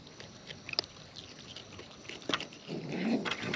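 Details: Wild raccoons eating close up, with sharp crunching clicks scattered irregularly through the clip and a louder, rougher chewing burst building toward the end.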